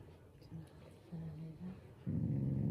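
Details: Shiba Inu family dog growling playfully, not angry. Faint short murmurs come first, then a loud deep rumbling growl sets in for the final second.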